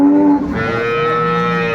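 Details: Improved-breed dairy cattle with calves at Ambari market, Dinajpur, 29 April 2024: a loud moo starts low and level, then jumps to a higher, sustained, strongly tonal note, with faint market noise behind.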